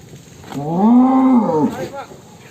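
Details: Single loud moo from a big fat cow raging as it leaves its stall: a steady, nasal low bellow lasting about a second, rising slightly then falling away, with a brief voice after.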